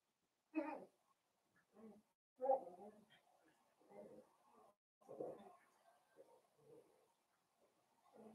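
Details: Blenheim Cavalier King Charles Spaniel puppies playing with their mother Paris in an indoor puppy pen, a litter of five: soft, irregular grunting and growly bursts in short clusters, with quiet gaps between them.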